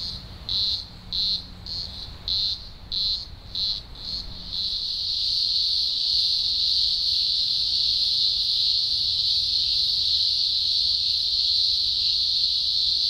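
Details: Deafening green grocer cicada chorus at a large Blue Mountains emergence, Australia, early October 2020; rhythmic high pulses for about four seconds, then merging into one continuous loud, piercing drone.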